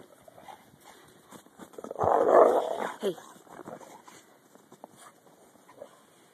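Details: During a 2011 blizzard, a dog playing in the snow lets out one loud, rough, growling burst lasting about a second near the middle, surrounded by quieter snuffles, shuffling and faint talk.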